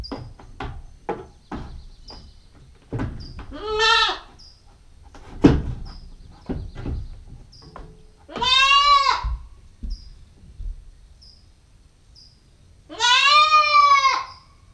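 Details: GoPro stakeout of a female Nubian goat kid at nine weeks old: three strained, tremulous bleats spaced roughly every four to five seconds, amid tapping knocks and faint repeated bird chirps.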